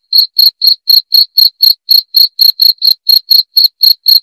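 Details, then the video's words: Cricket chirping, offered as a sound to drive away rats: clear, high, short pulses repeated steadily about four times a second, with no other sounds. "SUARA JANGKRIK PENGUSIR TIKUS"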